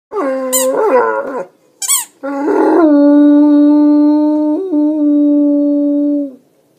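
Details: Pet Great Dane squeaking his toy and then howling; sharp squeaks from the toy, then a long steady tonal howl holding one pitch for about four seconds with a brief wobble, indoors and quiet.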